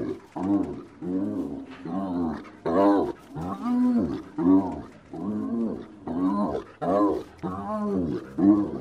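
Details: Cackling laughter of a spotted hyena, nasal harmonic notes rising and falling in quick chattering runs, about ten bursts in nine seconds separated by short pauses; recorded close with nothing else audible.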